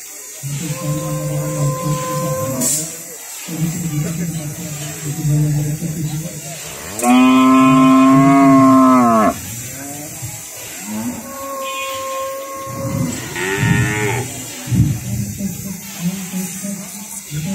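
A cow moos repeatedly, each call a drawn-out, low, harmonic-rich bellow lasting a second or two. One mid-sequence moo is especially loud and strained, with steady background noise throughout.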